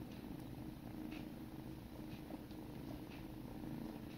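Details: Sibling kittens grooming each other indoors, purring in a steady low rumble that runs unbroken through the whole stretch. A few faint soft ticks from licking sit above it.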